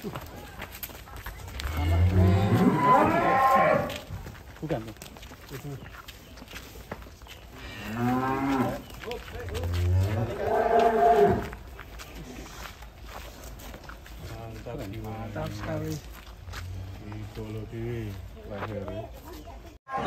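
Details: Large cattle in a remote village pen: several drawn-out, deep, harmonic moos, some rising then falling, spaced every few seconds, followed by softer lowing, with low background murmur.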